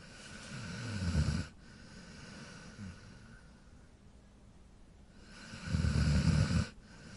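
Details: A sleeping dog snores in long, low, rumbling breaths, two loud drawn-out snores about five seconds apart with a softer wheezy breath between them, set against a faint steady background hiss.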